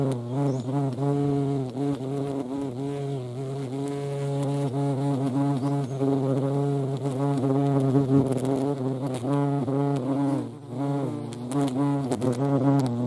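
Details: A European hornet (Vespa crabro) at a feeding place makes a deep, rich, unbroken buzz that wavers in pitch, swells slightly in loudness around the middle and briefly fades near the end.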